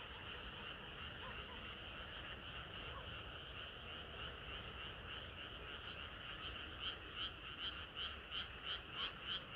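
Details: Frog chorus on a hot summer night: a continuous blended din of many croakers, and in the second half a nearer frog's pulsed croaks come through clearly, about three per second.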